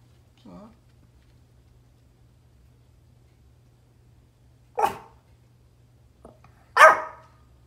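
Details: Pomeranian barking at deer outdoors, giving two sharp, isolated barks about two seconds apart after a long quiet stretch, with a faint soft yip near the start and a low steady hum underneath.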